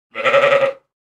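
A sheep gives a single wavering bleat, rich and nasal, lasting under a second.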